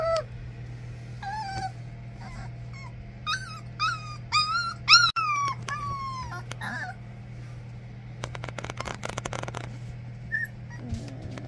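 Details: English Springer Spaniel puppies from a first litter of three, whimpering and yipping: a run of high, bent whines between one and seven seconds, some rising then falling, then a burst of rough scuffling noise, with a person speaking and a steady low hum.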